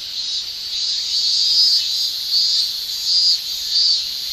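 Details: Shrilling male cicadas of a Japanese summer: an intense high drone with short louder surges repeating about every three-quarters of a second, giving a rhythmic pulsing to the continuous chorus.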